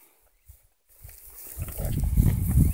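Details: Ranch cows heard outdoors, a deep low moo swelling and growing louder over the last second and a half, preceded by faint thumps.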